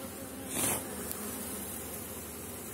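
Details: Honey bees buzz over a frame while the beekeeper asks them to move aside during a late-season check of strong colonies; constant drone broken by a short rustling burst early on.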